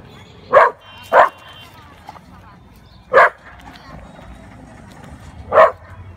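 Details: Black Labrador facing a cow gives four abrupt, loud barks. Two come in quick succession near the start, then two more follow after longer pauses. Quiet background.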